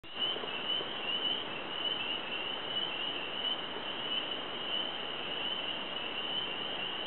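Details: Unseen frogs calling in a newly wet cypress swamp on a farm in Lowndes County, Georgia, on 7 March 2012; a dense, steady high trill runs unbroken through the whole stretch over soft background hiss.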